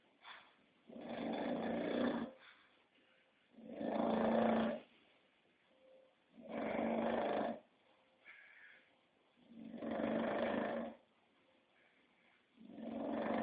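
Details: Snoring English Bulldog, five loud rasping breaths at a steady pace of roughly one every two and a half seconds, with quieter wheezy whistles between them.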